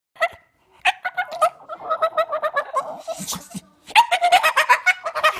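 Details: A Staffordshire Bull Terrier who loves balls and sticks makes rapid, rising whines and yelping grumbles, asking to play.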